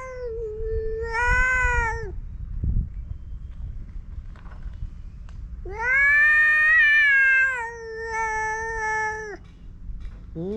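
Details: Stray male cats on a cat island starting a sudden fight: a drawn-out, wavering yowl near two seconds long, then a louder, longer rising-then-level moan lasting about four seconds, with quiet outdoor background.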